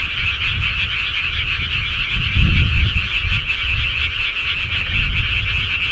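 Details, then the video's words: Rural frogs calling at night in a steady, dense chorus of rapid overlapping croaks, accompanied by a persistent low rumble that swells briefly near the middle. "시골개구리 소리"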